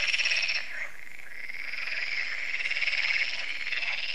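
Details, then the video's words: Frog chorus at a lake in France, Lac de Sabatte, an event that recurs yearly, heard in the evening as solar lights come on: a dense, unbroken wall of rapid, rattling croaks from many frogs, with a high buzzing layer and no pauses. "Froschkonzert an Crystals Lake"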